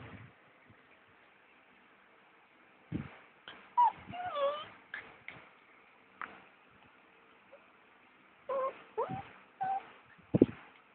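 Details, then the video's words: Pet dog Cookie whimpers and cries at 1am on 29 August while her owner packs for a day trip to Turi Beach. Scattered thuds give way to a rising, quavering whine, then more clustered whimpers and short cries near the end. "The dog who Cries"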